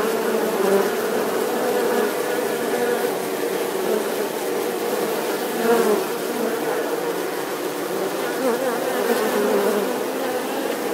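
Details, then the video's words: Steady swarm buzz of bees: an unbroken droning hum with a clear low tone, slight swells in loudness and brief higher whines of single insects passing close. "Âm thanh con ong|The sound and picture of the Bee"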